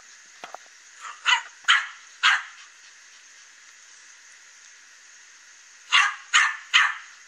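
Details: Loose dog that got away from its owner, roaming in the morning and barking at a fence where the cat Katie watches; two bursts of three sharp barks, about three seconds apart, over a steady high hiss.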